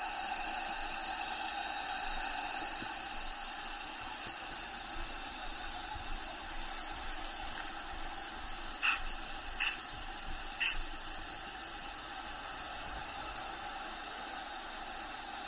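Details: Inside the vivarium of Diego, a bearded dragon, crickets keep up a high steady pulsing trill, while background habitat sounds add a few brief higher notes and soft hoot-like sounds midway.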